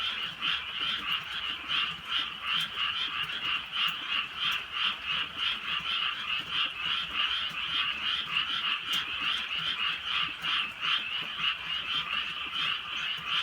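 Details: Frogs chorusing in the countryside on a drizzly night, a dense overlapping mass of rapid, pulsing croaks that throb steadily without pause, with faint clicks and the hiss of light rain underneath.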